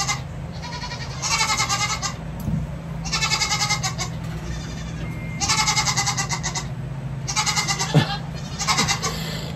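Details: Baby goat kids hanging in a sling while their hooves are trimmed, bleating loudly in four bursts of strongly vibrating, nasal calls about every two seconds, over a steady low hum.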